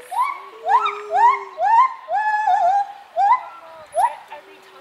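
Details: A gibbon swinging from branch to branch sings a quick series of rising, whooping notes, each swooping upward about twice a second.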